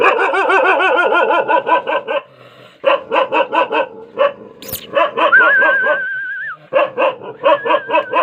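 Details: Rajapalayam dog barking in rapid, evenly spaced harmonic bursts, about two per second, with a brief pause, and a sustained whistled tone partway through, indoors.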